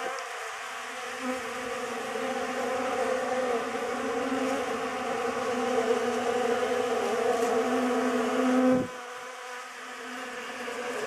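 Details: Honey bees crowding a homemade pollen substitute produce a loud, steady drone that swells slightly, then cuts off sharply near the end, leaving a fainter hum.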